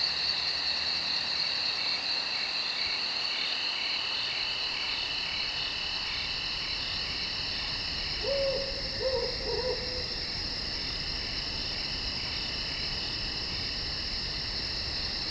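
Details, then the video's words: Night insects calling in the woods: steady shrill bands of high droning trills with fast pulsing ticks above, continuous throughout; a low owl-like hoot sounds in two short bursts around the middle. "Night Insects in The Woods"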